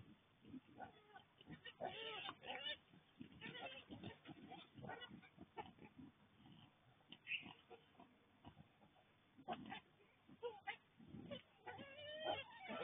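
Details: Wild boars visiting a garden in Kandy, Sri Lanka, on 29 September 2024, giving a busy run of rough, varied grunts and squeals that overlap and come in quick bursts throughout.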